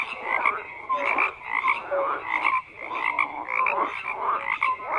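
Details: Frogs croaking in overlapping bursts, each rough, pulsing croak lasting under a second, with short piping notes in between and the chorus dipping briefly before building again.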